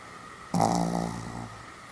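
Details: Pomeranian named Sam, snoring while fast asleep, recorded 1 November 2015: one rough, buzzy snore lasting about a second, starting loud and fading, in a quiet indoor room.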